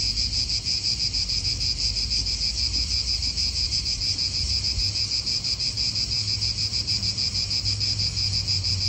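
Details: Cicadas in an Italian park, recorded as real outdoor atmosphere: a dense, unbroken high buzz with a rapid pulsing texture, steady throughout, over a faint low rumble of wind.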